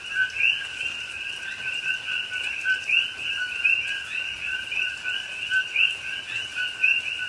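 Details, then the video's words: Many coqui frogs calling together at night during rain in a rainforest at Pahoa, Hawaii, October 2021. Continuous two-part calls, a lower tone then a higher upswept note, overlap into a steady shrill chorus with faint rain patter. "Hawaii Rainforest Rain and Coqui Frogs Sounds"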